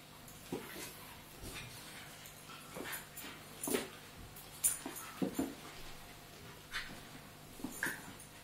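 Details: Two Staffordshire Bull Terriers, an adult and a pup, play fighting: short whimpers and high yips come in scattered bursts between soft scuffles and panting, with quieter stretches of room noise between them.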